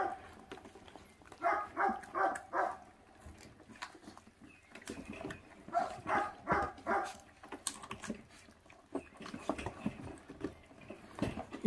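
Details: Feral dog puppy, born to a mother that does not care for its young, eating; short gruff growling bursts come in clusters of three or four, separated by quieter chewing and shuffling.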